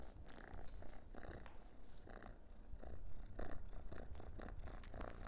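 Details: Orange domestic cat purring while playing with a dehydrated minnow treat indoors; steady low rumbling purr with rhythmic pulses, a few soft rustles over it.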